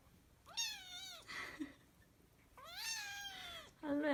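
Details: Persian Chinchilla kitten crying with two drawn-out, falling harmonic meows about two seconds apart, followed by a short sharp squeal, in a quiet room.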